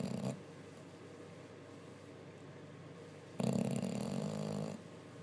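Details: Sleeping bulldog snoring after a busy day, indoors: a short rasping snore fades at the start, then quiet breathing, then a loud, rough, low snore of over a second follows.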